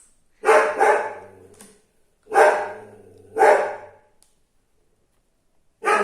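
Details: Pet dog barking in a home yard, interrupting a science lesson being recorded. Loud, harsh barks come in uneven bursts: a quick double bark, then two single barks about a second apart, a pause, and another bark at the end.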